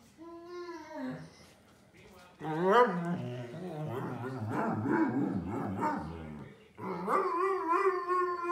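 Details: Older male Pudelpointer named Nico, said to sound like Chewy the Wookiee, talks out of frustration at wanting to go outside: long warbling, grumbling howl-yowls with wavering pitch, broken by a brief pause, over soft background music.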